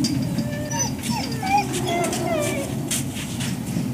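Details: Service dogs in Ipswich, Massachusetts, waiting for breakfast on October 14, 2017, whine in a string of thin, sliding, rising-and-falling notes about every half second, over a heavy low background hum.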